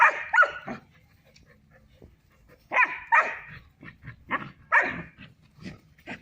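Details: Three-month-old female German Shepherd puppy at play with a male Barbari goat on a goat farm in Muzaffarpur, Bihar: rapid, bright puppy barks and yips in uneven runs, several short quieter yaps between louder ones.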